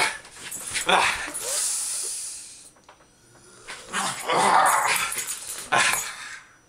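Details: Jack Russell Terrier Agnes in wild rough play with Alex, her typical cutting and snapping; two sustained rough growling bursts of about two seconds each, with human voices mixed in.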